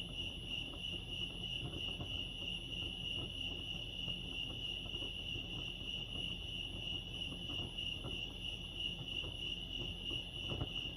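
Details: Lake Arrowhead, California crickets sing in an even, uninterrupted shrill chorus at a single pitch, with a quieter overtone, while a low murmuring background and faint ticks run beneath.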